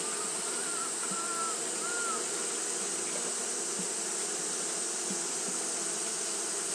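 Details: Japanese honey bees fanning continuously on a hot day: a steady, droning low hum with layered tones, under a constant high hiss, with a few brief whistled notes near the start.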